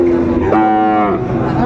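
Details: Sahiwal bull calves at Ambari cattle market on 17 January 2025; one calf gives a single drawn-out, tonal moo that rises slightly and holds for about half a second, with a low murmur of the market crowd behind.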